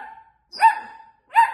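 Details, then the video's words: Long-haired Miniature Dachshund puppy, female, protesting indoors because her owner is away; a tail of a whiny bark, then two sharp yappy barks about three quarters of a second apart, the first stretched into a thin whine. "Long Haired Miniature #dachshund #puppy . Dramatic #puppybarking moment"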